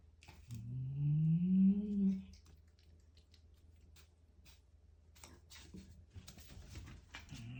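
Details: Domestic cat eating a grasshopper indoors, letting out one low, rising, drawn-out growling moan lasting about a second and a half, followed by quiet chewing and small clicks in a small room.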